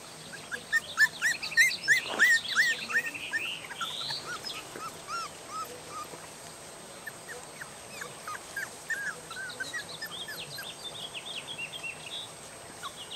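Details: Several three-and-a-half-week-old puppies of Mooney and Jordi, moved from their familiar home into the yard and just woken, wanting their mother to feed them. High arched whines overlap in quick succession, loudest early, then thinner cries continue over a hissy outdoor background.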